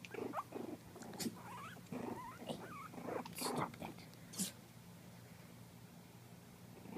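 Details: A litter of 4-week-old Miniature Pinscher puppies chasing a camera give thin, wavering squeals and whimpers that fade to quiet.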